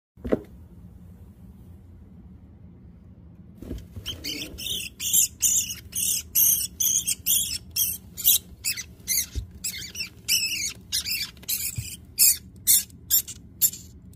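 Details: Rat caught by a corn snake, squealing after a quiet start: sharp, high-pitched broadband bursts in rapid, uneven succession, roughly two per second, continuing to the end.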